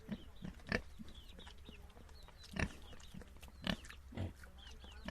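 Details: Domestic piglets give soft, low grunts, with a few louder sharp ones about once a second over a quiet, hissy background.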